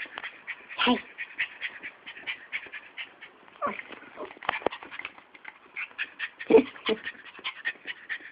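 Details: Fiyero, a pet Chihuahua–Miniature Pinscher mix that craves attention every waking second, pants rapidly and steadily in short breathy bursts, with a sharper whimper-like yelp near the first second and another louder burst later.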